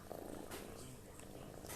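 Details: Sleeping pet cat snoring heavily, like someone exhausted from work: a continuous coarse, low purring drone with faint breath noise, while a person begins speaking at the end.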